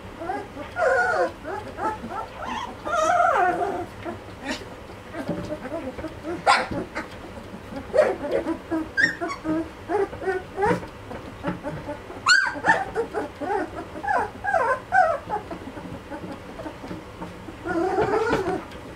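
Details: Malinois puppies of two and a half weeks giving repeated short whimpers and squeaky whines in clusters, mixed with clicks, handling noise and faint background sounds.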